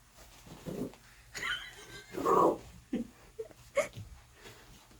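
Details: Maltese puppy being playful and cheeky with its big sister indoors. It gives short whiny squeals, a louder drawn-out grumbling growl in the middle, then brief yips, with faint household voices in the background.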